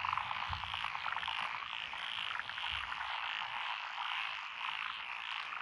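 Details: Rice paddy frogs among lotus in rural Echizen, Fukui Prefecture, Japan, 12 June 2021, produce a thick continuous chorus of buzzy, rapidly repeated croaks, with a couple of soft low thumps early on.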